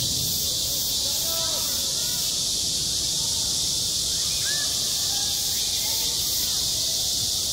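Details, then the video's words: A continuous shrill chorus of cicadas fills a school playground in high summer, a hissing, electric buzz with slight regular pulsing. Soft, distant, chirp-like voices are barely audible underneath. "한 여름 운동장에서 매미가 울고 있다"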